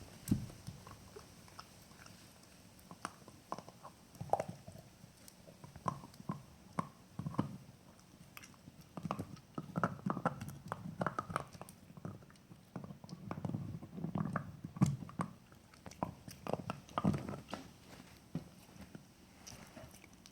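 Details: A pet male Jack Russell Terrier gnawing on a bone, with irregular crunching bites and wet chewing bursts every second or so across twenty seconds. The background is otherwise quiet.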